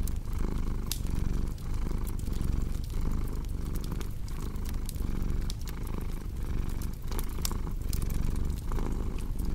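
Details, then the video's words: A cat's low vibrating purr runs without a break, rising and falling with each breath roughly once a second, while fireplace crackles pop sharply and irregularly over it. "Purring Cat with Cozy Crackling Fireplace Sound"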